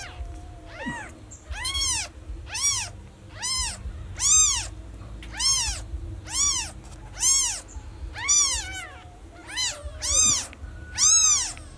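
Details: A newborn kitten cries for its missing mother with a string of shrill, bowed meows, about one per second, each sliding up and back down, with low rumbling noise beneath.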